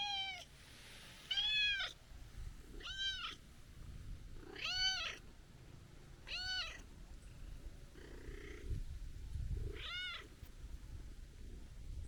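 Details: Stray brown tabby-and-white cat complaining on meeting again after a long time away; loud, clear drawn-out meows, each arching up then down, about six spaced every one to two seconds, with quiet rustling between.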